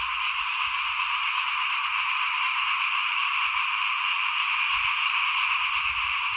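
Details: Chorus of frogs by a house while rice is being sown, 2021: unbroken, dense trilling hiss of many overlapping callers, with soft low background rumbles.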